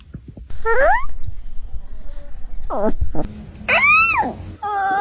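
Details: Puppies yawning indoors: several squeaky, whining yawn sounds, one sliding upward, then a short burst of falling notes and a long arching whine that rises and then drops, with soft rustling between them.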